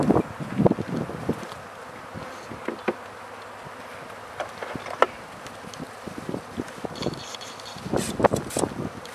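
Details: Honey bees around newly set-up beehives while the hives are being fed; a low, steady droning buzz, broken by frequent sharp knocks and clatter from handling the hive parts.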